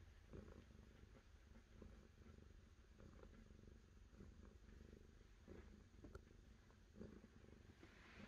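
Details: Soft, steady purring from a cat, low vibrating pulses in a regular breathing rhythm, with light background hiss and a few tiny clicks.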